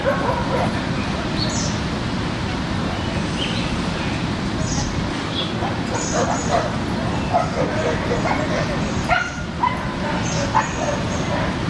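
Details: Dogs at play in a Brooklyn dog park, giving scattered barks and higher yips over constant low city rumble, with people conversing in the background.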